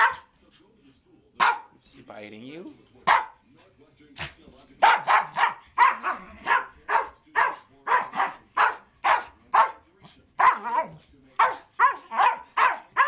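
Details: Two American Eskimo Dogs battling in play; a few scattered barks and a short growl, then a rapid run of sharp barks, several per second, continuing to the end.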